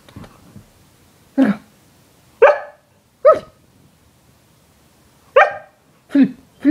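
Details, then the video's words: Siberian Husky named Yorga greeting its owner in bed in the morning: six short sharp barks or yips, bright and clipped, spaced about a second apart with a pause in the middle, in a quiet room. "Husky Yorga Daily Morning Welcome"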